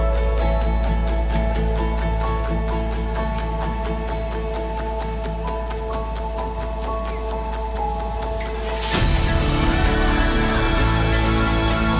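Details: Steady instrumental music plays throughout and grows fuller near the end, with no animal voice.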